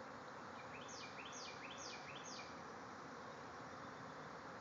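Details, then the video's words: Bees swarming from a backyard hive in their thousands give a constant, thick buzzing drone, while a bird adds a short run of four quick, falling chirps near the middle. "Bees swarming out of a hive"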